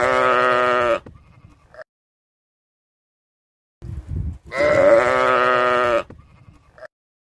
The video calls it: Cute animals - beautiful lamb - Sheep sounds